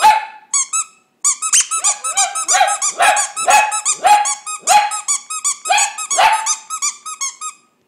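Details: Pet dog singing indoors: a string of high yelping notes, each starting on a held tone and then sliding down, about two per second, with squeaky overtones and a brief pause near the start.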